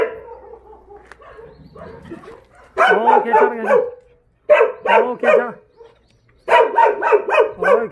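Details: Jindo dogs in the kennels of the Jindo Dog Theme Park, Jindo County, bark in tight bursts of three to five loud ringing barks separated by short silences, after a quieter stretch of softer yelps.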